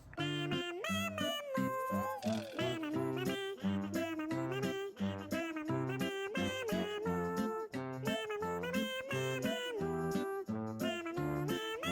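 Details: Bouncy children's music with a sung melody over a steady beat fills the track, and no animal calls are heard.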